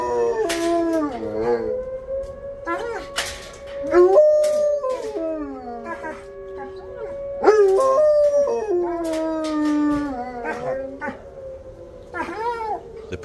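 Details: Two kenneled dogs howl together, set off by the monthly severe weather siren test. Wavering, overlapping howls rise and fall over a steady siren drone, with brief speech and clatter in the background.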